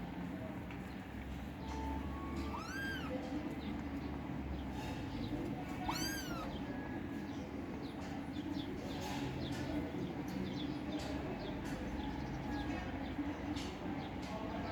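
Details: Kittens fighting for food. Two bright, arching meows come early, about three seconds apart, followed by a long stretch of steady hum and faint clatter.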